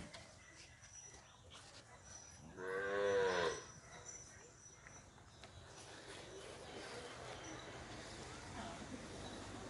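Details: A Punganur bull at P Gannavaram gives a single harmonic-rich moo of about one second, loud and slightly wavering, followed by quiet background hum and faint rustling.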